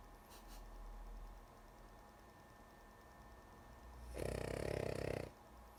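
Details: Female pet dog Lulu dozing and snoring: after a few seconds of quiet room noise and faint breathing, one loud, coarse rattling snore of about a second arrives near the end.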